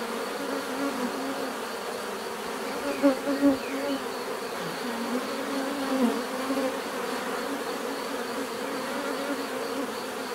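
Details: A low, constant drone of many bees, broken by a few sharp louder buzzes near three seconds and again around six seconds as bees fly close.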